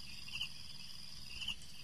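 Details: Crickets calling at night in the dark: a steady, high, ringing trill with two brighter chirps standing out about a second apart.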